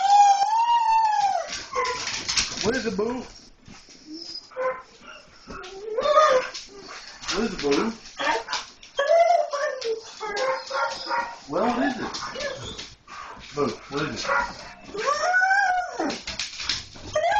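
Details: Several pet German Shorthaired Pointers noticing a stray cat outside, keeping up an excited stream of whines, yelps and howling cries that rise and fall, overlapping almost continuously with scattered clatter.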